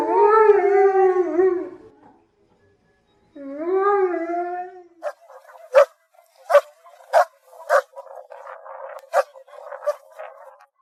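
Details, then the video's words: German Shepherd Dog drawing out two wavering, sliding howls, then a run of short, sharp barks at irregular spacing with quieter rough noises between them. "GERMAN SHEPHERD Sounds for Kids - Barking, Howling, Breathing Sounds of German Shepherd Dogs"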